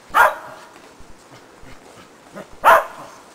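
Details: Shetland Sheepdog during agility training with a box and jump grid for running contacts, giving two sharp single barks about two and a half seconds apart over quiet background thuds.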